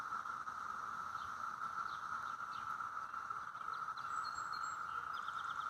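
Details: A dense chorus of cicadas mating in neighbourhood trees makes a steady, unbroken, Martian-like whine that fills the air, with faint bird chirps above.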